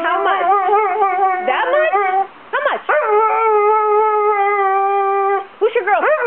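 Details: An English Springer Spaniel talks to its owner before a photo shoot, producing loud, yodelling, howl-like moans that swoop up and down in pitch, with sustained wavering notes and short breaks between them.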